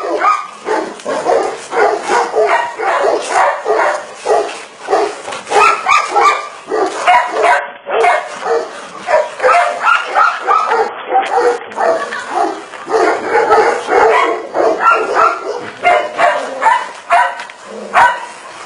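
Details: Barking from a Tibetan Mastiff: a long series of sharp, fairly high yelps and barks in fast, irregular bursts, some clustered in quick runs, continuing almost without break across eighteen seconds.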